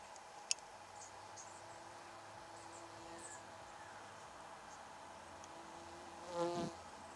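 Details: Australian native stingless bees at a log hive in Ipswich, Queensland, recorded close up; a faint, low, steady hum with passing buzzy tones, one sharp click early on and a brief louder rustle near the end.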